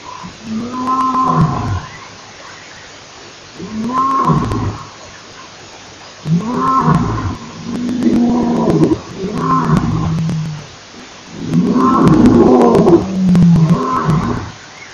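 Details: Male lion at Nkorho Pan, 28 September 2008, roaring: a series of deep, moaning roars, each rising then falling and lasting over a second, given in quick succession and building into a louder, denser bout toward the end.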